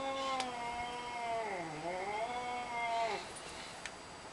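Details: Domestic cat producing a single long, low, moaning meow that dips in pitch midway and rises again before fading, with faint background hiss.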